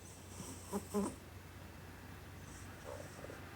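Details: Cat snoring while fast asleep with eyes open, giving two quick snorting breaths close together, then a quieter breath a moment later, against a low steady background hum.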